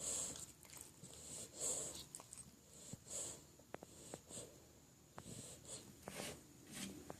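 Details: A 5-month-old male English Bulldog snores loudly while asleep, possibly dreaming, with wheezy, rasping breaths in a slow, uneven rhythm.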